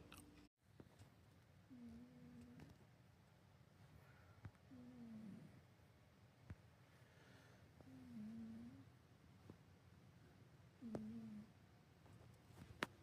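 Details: Bob, a 24-year-old tabby cat, snoring while asleep indoors: four soft, low, hummed snores, each ending in a slight downward slide, come roughly every three seconds over a quiet room background.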